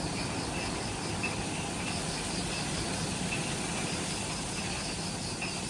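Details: Insects in the Ishigaki Island jungle, Okinawa, Japan, at twilight just after sunset near the Mount Omoto trailhead: faint pulsed trills and a steady high whine, partly masked by stronger low rumbling noise.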